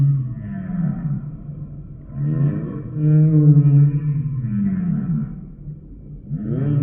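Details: A sampled humpback whale sings long tonal moans layered with stacked overtones. Some phrases hold steady and others sweep up or down in arcs, separated by brief dips in loudness.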